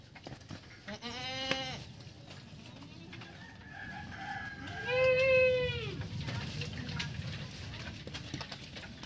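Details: Purebred Anglo-Nubian buckling, a young male goat, calling while being bathed; two wavering, nasal bleats rich in harmonics, a short one early and a longer arched one midway, over steady splashing and background noise.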